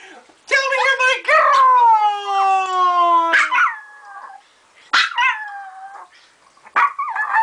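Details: Joker, a female dog that howls when told she is a good girl, gives one long descending howl followed by shorter broken vocal bursts and gaps, with a person talking in between.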